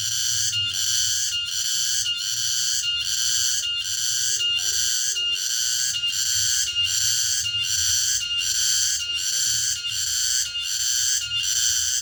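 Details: Tonggeret, a cicada, singing in the late afternoon far out in the countryside: continuous shrill buzzing broken into rhythmic pulses, around 78 per minute, steady throughout, over a quiet low hum.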